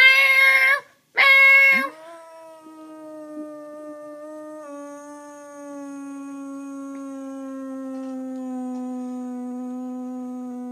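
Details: Two sharp meows play indoors, and a dog that dislikes meowing answers with a long, drawn-out howl lasting around nine seconds, dipping slightly partway through and then holding steady.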